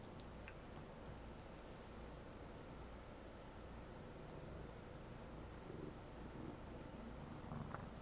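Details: A pet cat named Alii purrs while kneading a stuffed animal indoors; a soft, steady low rumble runs through the whole stretch, faint and continuous, with light rustling near the end.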